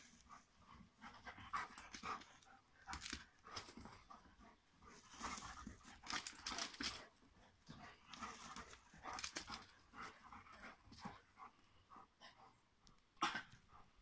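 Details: Two Rhodesian Ridgebacks playing together, rapid breathy panting bursts repeated irregularly throughout, with soft scuffling noises and occasional sharper clicks between breaths.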